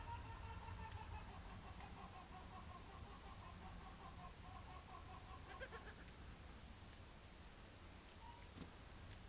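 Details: A goat kid 24 hours old, in a sacred wood at Jesolo near Venice, gives a long, quavering, nasal bleat over a low rumble of wind.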